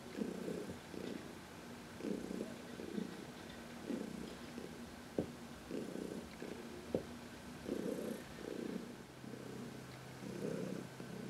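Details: Senior cat Heidi from the Humane Society of New York City purring in contentment under a massage in sunshine; rhythmic inhale-exhale purr cycles, repeated steadily, with occasional faint taps.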